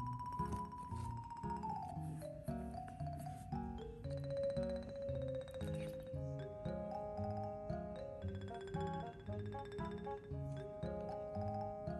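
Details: Gentle mallet-percussion music, vibraphone and xylophone tones over a soft bass pattern, plays throughout without any animal sound.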